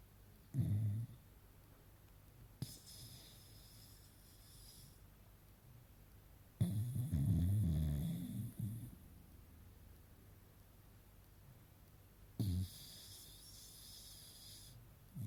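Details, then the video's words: Beagle puppy Yfke asleep indoors, snoring in low rumbling bursts; a short snore near the start, then a long raspy snore lasting about two seconds, and a brief snort near the end, with quiet breathing between. "Beagle puppy Yfke 🐶 Snoring her nose off"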